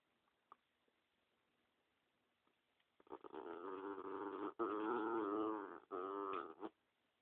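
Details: Protective dog Spumoni growls at anyone walking up to him and the dog next to him; a quiet start gives way to a long, rough, wavering growl broken by brief gaps and ending abruptly, in a small room.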